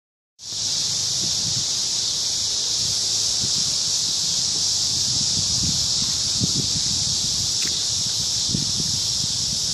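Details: Crickets singing at evening in a big cottonwood tree in a park: a dense, steady, high shimmering chorus holding unbroken throughout, with soft low rustling thumps beneath.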